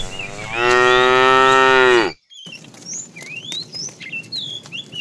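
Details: In the afternoon, while a herd of tame cows is being herded, a fat cow gives one loud, drawn-out moo that bends downward at the end, said to be calling the female; small birds then chirp.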